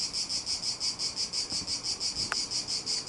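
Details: Cicadas sing from a cedar about 15 metres tall beside a villa on a sunny day, more numerous than before: a loud, high, buzzy song pulsing steadily about three times a second.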